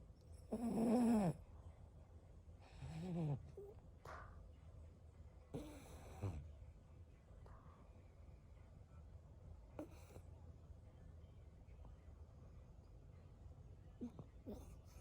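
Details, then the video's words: A pet Boston Terrier sleeping deeply with a crooked mouth and tongue out snores in loud, rasping bursts that come every couple of seconds. "ボストンテリアのイビキ The Snoring of Boston Terrier."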